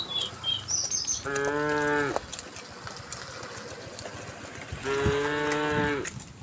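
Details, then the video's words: Herd of tame cows heading calmly to pasture on a sunny morning: two moos, each under a second, about three seconds apart; light bird chirps at the start and scattered clicks throughout. "the sound of cows"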